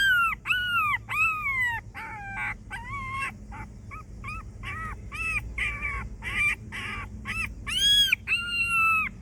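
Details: A homeless dog crying as if asking for help, a pitiful whining: repeated high whines arching up then down, mixed with short choppy yelps, delivered nearly without pause throughout, low background rumble beneath.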